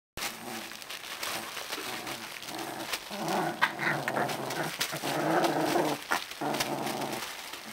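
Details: Alaskan Malamute puppies between 18 and 25 days old, making low, rough growling and whining sounds in overlapping bursts, with rustling and crinkling of bedding throughout.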